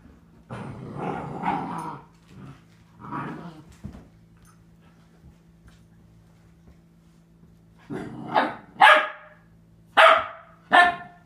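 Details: Four-month-old female Catahoula Leopard Dog puppy indoors in a bathroom, barking at her reflection in the mirror; low growly grumbles at first, then after a pause four sharp, higher barks spaced about a second apart.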